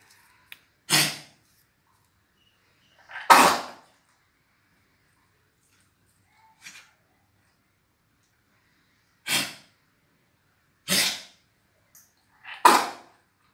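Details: Dog with a cold producing choking sounds: six abrupt, harsh hacking snorts spread over the recording, some louder and drawn out, separated by silence of one to five seconds.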